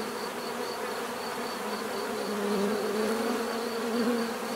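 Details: Massed bees buzz in a smooth drone; a nearer bee's hum rises and falls in the second half, over a faint high pulsing chirr in the background.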